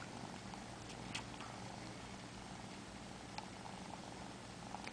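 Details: Male Siamese kitten, four months old, sucks on fingers before sleep and purrs in an even, droning rumble, with a few brief clicks over the top.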